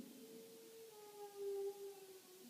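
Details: Pet dog howling indoors at home while tornado sirens are tested: one long, steady, tonal howl that drifts slightly downward in pitch and swells louder in the middle before easing off.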